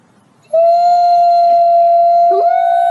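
A wolf gives a long, steady howl that rises slightly at the start and holds a level, mournful pitch.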